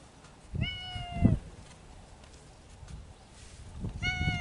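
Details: Spring courtship among feral cats living in the mountains: one sustained flat yowl followed a few seconds later by the start of another, with low thumping and rustling noise beneath.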